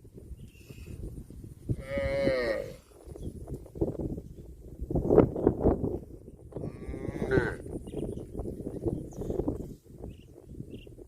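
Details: A herd of tame cattle searches for food in a green field. Two long harmonic moos come about five seconds apart over continuous low rustling and chewing as the animals graze.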